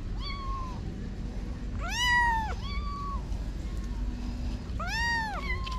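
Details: Orphaned-for-now kittens, roughly six to eight weeks old, near a parking garage after their mother vanished for a week: a rapid run of shrill, arched meows, some bunched close together, against faint low hum.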